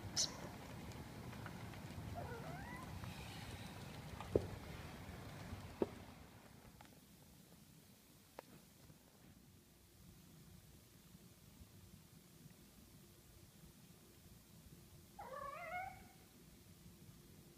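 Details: Smoothie, a female kitten in her first weeks in a new house, filmed indoors on an older iPhone in July or August 2014. She gives one clear, rising-then-falling meow near the end, with a fainter meow earlier, among soft thuds and low room hum.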